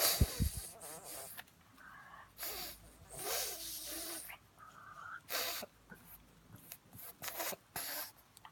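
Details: A pug's funny noise comes as a run of wheezy, snorting breaths, choppy and uneven, some with a faint nasal whine, all close to the microphone.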